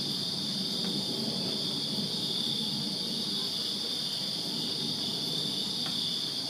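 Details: Crickets chirping in a backyard in Virginia on a summer night: a dense, steady high-pitched trilling band that holds without pause throughout, with a faint low rumble of distant background noise underneath.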